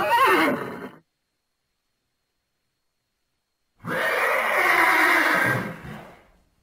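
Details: Thoroughbred horse neighs: a brief, quavering whinny descending in pitch, then silence, followed by a long, breathy, broadband snort or blow.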